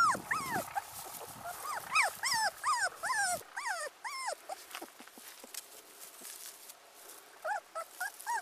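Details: Teacup Pomeranian puppy, abandoned, giving a quick run of high, arched whimpers over a rumbling, noisy background. The cries thin out to faint scattered squeaks, then a few more whines close the clip.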